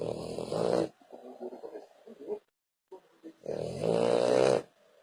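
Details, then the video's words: Loud, rattling snores from a French Bulldog. A harsh buzzing inhale is followed by softer wheezy breathing, a brief silence, then another long, strong snore with a whistling edge. "Bull Dog Francês roncando muitooo"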